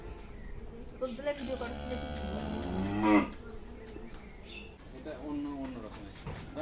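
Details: Cattle at a farm in Shahjadpur upazila, visited before Eid al-Adha: a single drawn-out harmonic moo lasting about two seconds, rising then peaking loudly near its end, with background chatter and farm noise.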